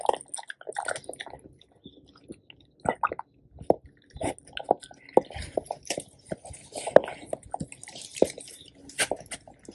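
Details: Two male pet Labradors, black Tico and yellow Remi, eat a raw duck head whole. Separate wet bites and crunches come about every half second, with brief quiet gaps between chomps, indoors.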